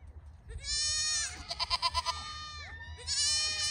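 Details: Pygmy goat raised on a Knoxville, Tennessee farm gives a long, loud, quavering bleat with a rapid pulsing tremble, then a second nasal bleat begins after a short pause; faint low hum underneath.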